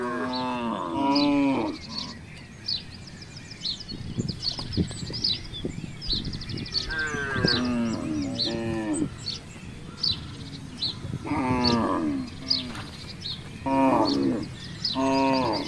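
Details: Herd of free-roaming village cattle wandering through a housing complex: several drawn-out, harmonic moos come in bursts, some falling in pitch, with chirping birds twittering high above throughout and low background rumble.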